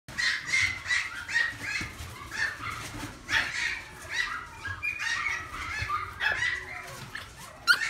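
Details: A pug puppy at a pet shop gives a steady run of high, squeaky yelps and whines.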